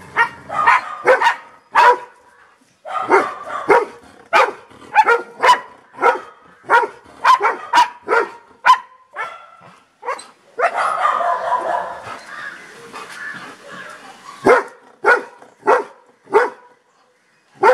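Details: Golden Retriever named Toby barking steadily: a long run of short, punchy woofs about one per second, broken by a rougher, drawn-out bark and a short gap before the single barks resume.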